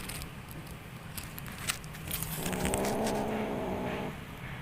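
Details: Kitten making a strange sound while playing: a single drawn-out, harmonic, slightly throaty call lasting about a second and a half, over light crackling and handling noise.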